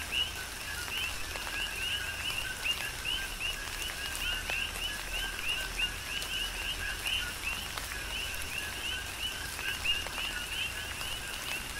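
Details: Coqui frogs calling in tropical rain on the Big Island of Hawaii: a dense overlapping chorus of two-part calls, a lower note followed by a bright rising chirp, repeating constantly over the steady hiss and patter of rainfall.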